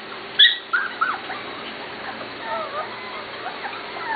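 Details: Corgi puppies almost seven weeks old from two litters, giving a quick burst of high, sharp squeaks and whimpers that fade into faint, wavering whines, with people talking nearby.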